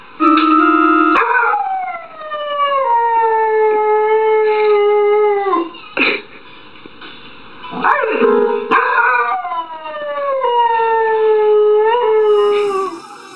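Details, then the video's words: Dog howling in long, drawn-out tones that slide gradually downward, with a brief break near the middle before the howl resumes and falls again. One howl of several in a compilation of singing and howling dogs. "Singing and howling dogs"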